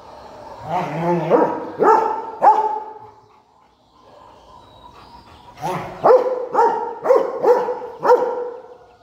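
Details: Rottweiler at play with a stone, giving three quick barks, a quieter pause with faint rumbling, then a run of five sharp barks in quick succession.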